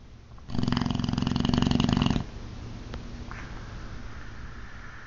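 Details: Ozzy, a sleeping Boxer dog, gives a loud, harsh rattling snore lasting under two seconds, rapidly pulsing, followed by soft breathing, a brief click and a faint high tone in the quiet room.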